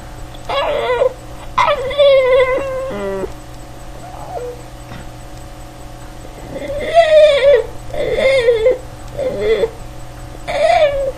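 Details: Boston Terrier dog making its trademark noises, a series of wavering, whining vocal bursts with quivering pitch, some short and others drawn out, separated by pauses, over a steady low electrical hum indoors.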